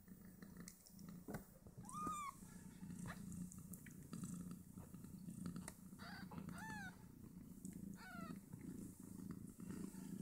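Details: Five two-day-old Snowshoe Siamese kittens nursing on their mother and fighting over teats; several short, high, bending squeaky mews rise and fall, spaced a few seconds apart over a low steady purring rumble.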